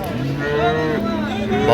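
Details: Improved-breed dairy cattle, cows with calves, at Ambari cattle market in Dinajpur, 28 September 2025: a low, steady, drawn-out moo under nearby men talking, with crowd murmur behind.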